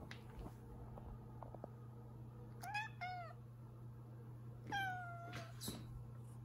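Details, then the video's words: Pet cat complaining, as it does daily after a hard day: two short falling meows close together, a pause, then a longer falling meow and a brief final one, over a steady low hum indoors. "is tired and complaining after a hard day"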